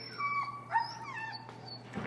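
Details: Feral husky Finnegan, resisting his heel training in Chicago, gives a sustained, high, wavering whine that bends downward and then trails off, with a faint steady hum behind it.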